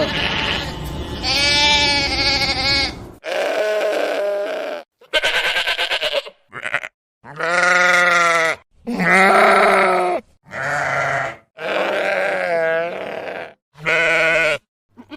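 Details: Sheep bleating repeatedly, about ten loud nasal cries of varied length, some steady and some quavering, separated by short pauses.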